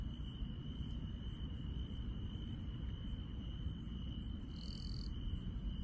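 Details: Countryside insects at night, a sustained high trill joined by quick, very high chirps repeating roughly twice a second and a brief buzzy burst near the end, with low rumbling underneath.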